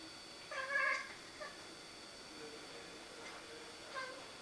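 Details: Siamese cat making a fuss over a rook in a tree across the road. A short, strained meow-like cry followed by a few fainter, brief calls, over a steady background hiss.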